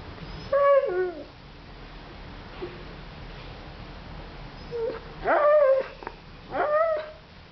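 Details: Siberian Husky named Cyrus whimpering indoors because he wants his sausage toy: three tonal, falling whines with rich harmonics, a short one near the start and two louder ones near the end, over quiet room hiss.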